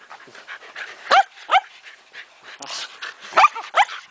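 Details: During a ball game among female Shetland Sheepdogs, a few high, sharp barks and yips ring out in pairs amid softer scuffling, panting and a person's voice.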